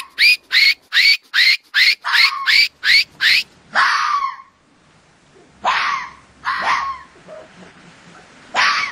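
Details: Mating-season fox calls: a quick string of nine sharp, high, evenly spaced yelping barks, then a long falling scream, followed by three scattered, rougher hoarse barks with pauses between.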